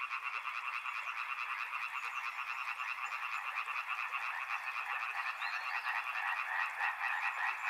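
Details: Many frogs calling together beside a river, a continuous mass of pulsed croaks with a few brighter upward-sliding notes near the end.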